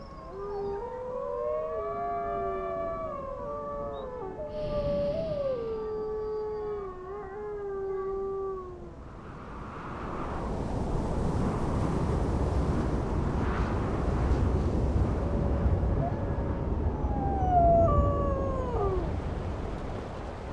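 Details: Grey wolves of the Druid pack in Yellowstone in winter howling: several overlapping long tonal howls, some sliding down and others held level, for about nine seconds, then rushing wind-like noise with a few later howls rising and falling.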